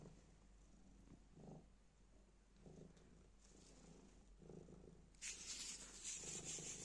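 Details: Black cat purring while playing with a piece of black plastic bag. Soft, low rumbling comes in pulses about every second. Sharp crinkling rustles of the bag fill the last two seconds.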